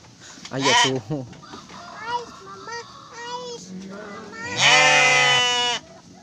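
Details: Garut sheep around a ewe delivering triplets: one loud, sustained, nasal bleat near the end, after a short bleat and stretches of people talking.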